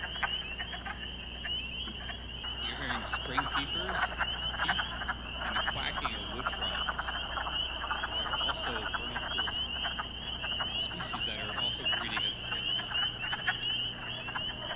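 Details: A dense spring peeper (Pseudacris crucifer) chorus on Long Island in spring: high, piercing peeps, with lower clucking wood frog calls mixed in.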